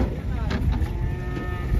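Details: Giant fattened cattle, said to come from Sambi, Boyolali, being unloaded from a truck; a low, muffled moo sits under steady rumbling vehicle noise and crowd chatter.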